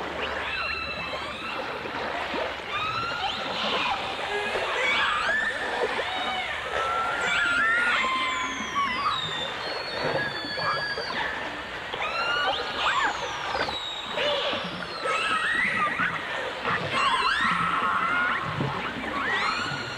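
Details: Dolphins, heard alongside orcas on a 1989 full dimensional stereo recording, trade a dense stream of whistles: rising and falling sweeps, looping upsweeps and long level tones overlapping one another, with bursts of clicking over a steady watery hiss.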